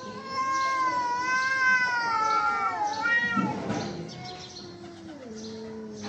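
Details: Domestic cats fighting: long, wavering yowls with rich harmonics rise and fall almost without pause, one drawn-out wail overlapping another, then a low moaning growl near the end.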